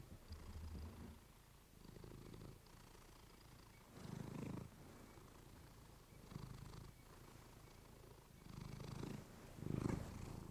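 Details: Domestic female cat purring indoors, recorded close with a fluffy microphone; low rumbling purr swelling into louder bursts about every two seconds, the strongest near the end.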